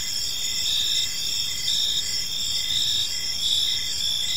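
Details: Crickets chirping on an evening in a park: a dense chorus of high, shrill trilling in several overlapping bands, with pulses coming roughly every second over a steady background hiss.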